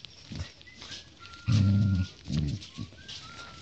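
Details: Husky puppy play-fighting with a golden retriever puppy: a loud, low rumbling growl lasting about half a second, then a shorter second growl, over light scuffling and a thin, drawn-out whistle-like tone.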